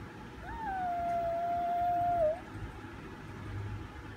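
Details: A single chihuahua howls one long, steady, tonal note that lasts about two seconds. The pitch jumps up briefly at the start and dips at the end, then the note stops in a quiet room.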